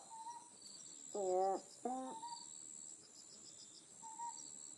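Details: An Otton frog on Amami Oshima, where it is endemic, gives two loud, low, harmonic calls in quick succession at night against a backdrop of night insects.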